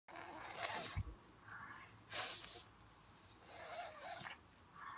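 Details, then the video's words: Pug making a funny noise: rough, breathy snorting bursts about a second apart, some carrying a brief nasal tone, with hissy snuffling between them in a quiet room. "Funny pug noise"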